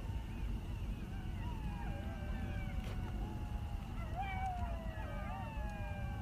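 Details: Many coyotes howl all around in long, wavering, sliding tones over the low crackle and rumble of a campfire.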